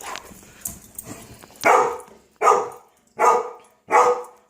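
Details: Domestic dog indoors in Homer, Alaska, barking at a moose standing in front of the house just after the moose chased her and her owner; four loud, hoarse barks evenly spaced under a second apart, preceded by quieter whines.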